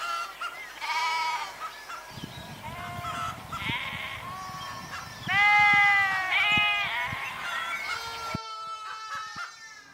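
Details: Sheep bleating: several wavering, harmonic bleats overlap, with scattered clicks and knocks beneath. The sound cuts abruptly near the end to a different, quieter passage.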